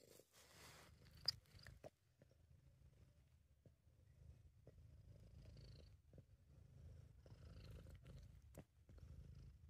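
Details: A British Shorthair cat purrs in a low, steady rumble with soft breathing pulses and faint clicks, a contented, relaxed purr; the sleeping footage was recorded separately from this audio.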